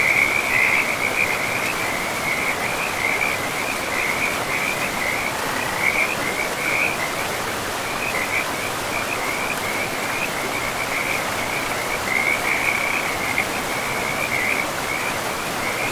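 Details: Frogs calling beside a river deep in a forest, a near-continuous run of short, high trilling croaks repeating over a steady rushing wash of flowing water.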